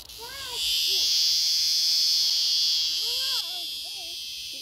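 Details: A locust cicada found screaming gives a continuous shrill, high buzz that swells louder after the first half second and eases slightly near the end, while people talk over it in short rising and falling phrases.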